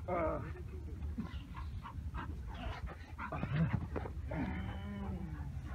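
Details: During protection training, a Bull Terrier gives a run of rough, harmonic barks and yelps while fighting and leaping, with a voice speaking nearby praising him.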